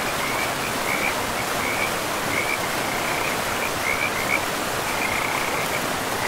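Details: Forest frogs near a river produce a fairly faint series of short, evenly spaced high trills, partly masked by the loud steady rush of the water.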